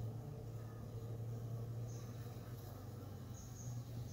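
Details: Hive entrance of honey bees, 45 minutes after robbing, 5:15 pm: a strong, even low-pitched hum dominates throughout, flickering rapidly in loudness, with a few faint thin high tones.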